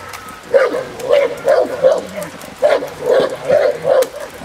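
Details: Presa Canario female working in protection training at a field in Germany; a run of eight fairly even, deep barks spaced about half a second apart.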